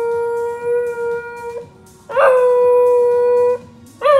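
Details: Fuji the corgi, a pet dog, howling along to a song playing on Spotify: long steady mournful tones, each held about one to one and a half seconds, with a brief scooping rise at the onset and short pauses between.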